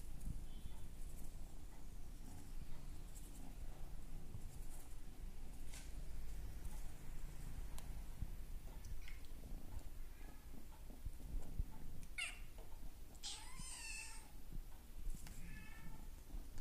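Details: A male brown classic tabby and white Maine Coon kitten, born March 9 and recorded June 2 at under three months old, gives a brief, thin, wavering mew over a steady low rumble.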